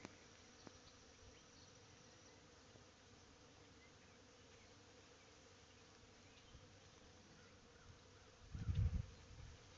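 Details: Many honey bees busily working a white-blossoming tree on a sunny 70° spring day hum in a low, steady buzz, with a brief loud rumble near the end.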